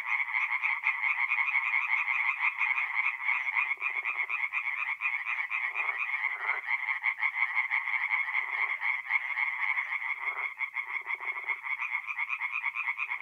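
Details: Chorus of singing tree frogs at a forest pond by night in mid-April, North-East Italy; dense overlapping rapid pulsed calls centred high, continuous throughout, with occasional lower raspy bursts from other callers.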